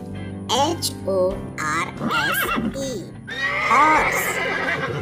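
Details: Horse neighing in several wavering, quavering whinnies that rise and fall, the last one longest and loudest, with music playing underneath throughout.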